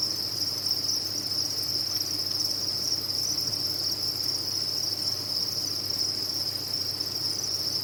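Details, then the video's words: Many crickets housed on a cricket farm fill the air with an even, high, ringing chirping chorus that never breaks, accompanied only by a quiet low-frequency hum. "Sound of a Cricket Farm"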